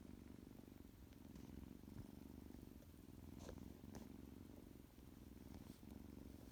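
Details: Loud, continuous purring from Tuxie, a little tuxedo kitten just up from a nap, a deep throbbing drone with a few brief soft clicks and rustles around three and a half and four seconds.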